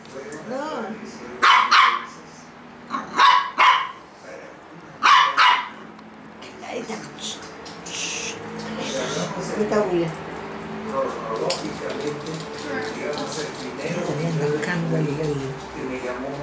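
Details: A six-month-old Yorkshire Terrier gives three sharp, high barks about two seconds apart in the first six seconds. Music and voices follow for the rest of the recording.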